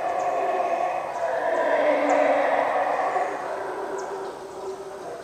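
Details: A sustained, rough roar of howler monkeys rises and falls at the Yaxchilan ruins in the morning. The droning chorus peaks near two seconds, then eases, with a few faint high chirps in the background.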